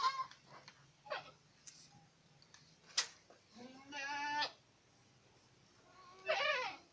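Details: Boer goats at Acatlán de Osorio, Puebla, amid clicks and rustling noises; a low, quavering bleat rises near the middle, and a second shorter, brighter bleat follows near the end.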